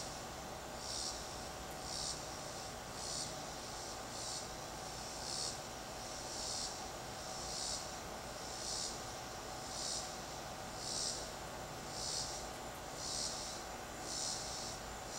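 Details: Cicada in a tree, recorded from a distance to avoid disturbing it: faint, regular high buzzy pulses roughly once a second over steady background hiss and low rumble.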